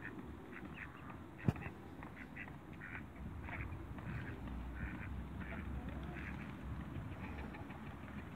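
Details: Mallard pair, a male and female newly arrived at a waterbird farm, calling in a run of brief raspy quacks roughly every half second to second, with one sharp knock early on and constant low-frequency background hum.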